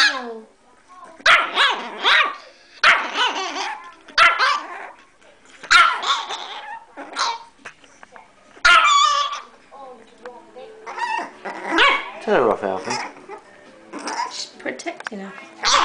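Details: Bitzy, a tiny pet dog, barking wildly for no apparent reason: bursts of sharp, high yappy barks at irregular intervals, roughly twenty a minute, with short pauses between volleys.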